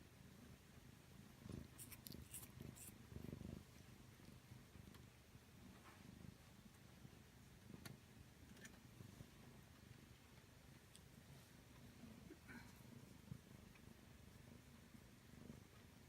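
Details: Pet cat purring while tickled in a ticklish spot, toes spread out; a continuous deep rhythmic purr runs throughout with occasional light taps and rustles.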